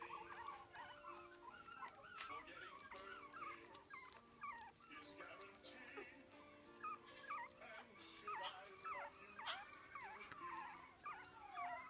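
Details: Biewer terrier pup, four weeks old, eating meat for the first time: a busy stream of high-pitched squeaks and bent whining notes, irregular and overlapping, over sustained background tones like soft music.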